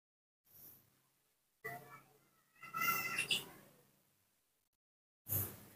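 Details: Baby monkey Nomi, cared for by hand, calling in the morning when he wants to drink milk: a few short, thin, high-pitched squealing cries in two bursts, separated by quiet pauses, with a soft thump at the end.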